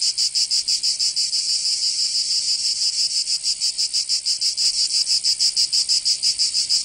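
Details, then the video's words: Summer chorus of cicadas in Provence, southern France, a continuous shrill buzz throbbing in quick regular pulses, roughly three per second, nothing else audible. "Canto Cigarra 🦗 [ Escuchar les cigarras en verano 10 H]"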